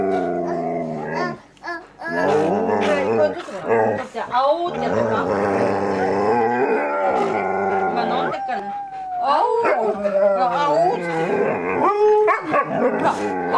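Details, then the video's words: Two Siberian Huskies squabble over a mandarin orange; one cries, mostly fake crying, after the other snatches it. Wavering, harmonic howling whines rise and fall in repeated bursts, with short gaps and overlapping vocal sounds. "蜜柑をハスキークッキーに盗まれた mandarin was taken to the dogs husky"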